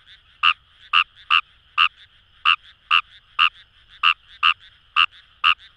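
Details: Fejervarya kawamurai calling in the Kamo River rice fields of Itoshima, Japan: sharp croaking notes, sometimes paired, at about two per second, with quieter frogs croaking in the distance.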